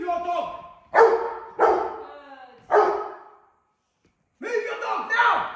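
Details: During controlled aggression training against a challenger decoy, a Rottweiler gives three loud, rough barks spaced under a second apart, falls silent, then resumes with growly barking as a man speaks.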